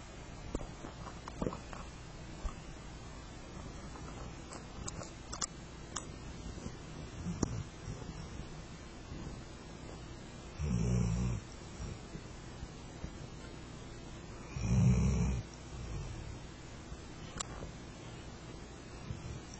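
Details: Flat-coated Retriever named Rento asleep under a kotatsu, snoring with a deep rumbling "go-go": two low, rough breaths about four seconds apart over a quiet room with faint rustling clicks.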